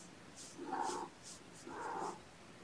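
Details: Mother cat Gamora, nursing five kittens born April 14, calls the babysitter on the morning of 2018-06-06: two clear, harmonic meows, each about half a second long, spaced about a second apart, with light background hiss.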